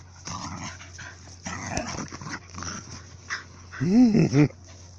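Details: Excited female dog in a meadow in February, pushing her owner to throw her ball: soft rustling, then two rapid high, rising-falling whiny yelps near the end, over a steady low hum.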